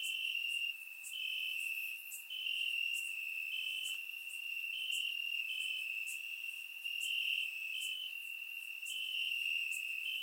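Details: Night chorus of crickets chirping in grass, Bulgaria, summer warmth; unbroken shrill trill holding one pitch, overlaid by regular sharp ticks roughly every second and a fainter higher buzz, recorded in surround sound.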